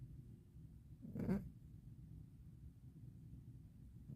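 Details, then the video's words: A 12-year-old pet cat with rhinitis snoring while asleep indoors in winter: one soft, breathy snort swelling and fading around the middle, then a low steady hum of quiet breathing. "고양이 코골이에 놀라지 마세욬ㅋㅋㅋㅋ어디 술 드시고 뻗으신 으르신 코골이 소리 아님니다. 고양이 코골이 맞아욬ㅋㅋ"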